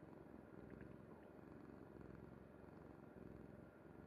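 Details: Kuri the cat dozes on her mother's bed, her purr a close, even, throbbing drone that repeats in quick pulses, with a light rustle early on.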